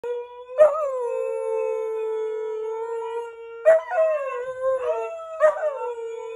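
A Siberian Husky howls in long, steady tones broken by brief yelping rises.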